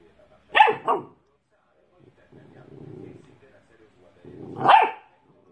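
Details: A dog gives two short, sharp barks about four seconds apart, with a low muffled rumble in between.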